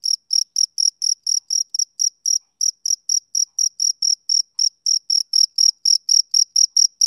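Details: Steady high chirps from a male cricket on a summer evening, about four per second with one brief pause near the middle before the rhythm resumes; clean quiet background throughout.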